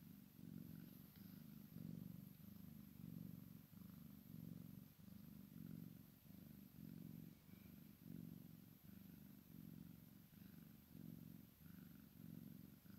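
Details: Purring from a Maine Coon and Sphynx cross kitten at play with mama, a deep continuous rumble pulsing in regular waves roughly every second for the whole stretch.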